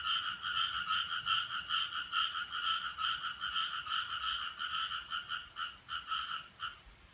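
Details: Frog, or possibly a frog, behind an odd sound recorded on Friday 7 July 2017 from 4:13: a fast, steady run of pulsed two-toned croaks with a mid and a higher band, about two or three per second, faltering toward the end.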